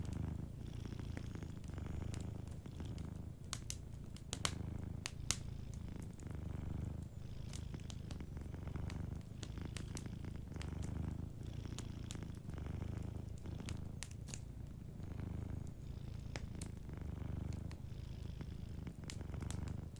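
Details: Sleeping domestic cat purring softly beside a warm fireplace: a steady low rumble pulsing in long breaths, with sharp crackles and pops of burning wood scattered throughout.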